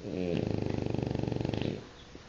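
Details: French Bulldog Guizmo snoring indoors: a single long, rough, low snore of rapid fluttering pulses lasting about one and a half seconds, then quiet breathing.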